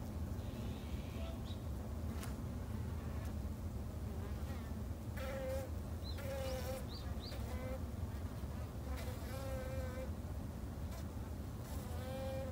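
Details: Japanese honey bees kept at a home garden apiary give a steady low droning hum throughout, while a bird adds short whistled notes and a run of rapid repeated chirps in the background.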